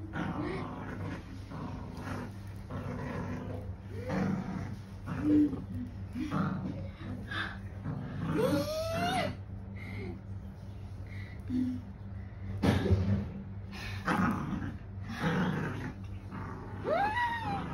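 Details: Female pet dog playing tug of war indoors, determined to win, making throaty growls and rumbling roars with a few brief rising whines, mixed with occasional human speech over a constant low hum.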